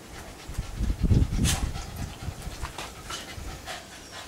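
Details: Two Shiba Inus dash around a backyard, one later showing some attitude; a Shiba Inu pants in quick, breathy bursts, about three to a second.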